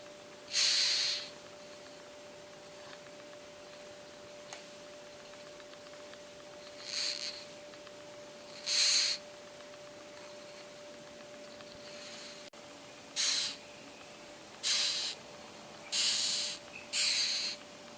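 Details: Asiatic rhinoceros beetle (Oryctes rhinoceros), a coconut-tree pest, stridulating: short, harsh hissing rasps, spaced irregularly, over a steady low electrical hum.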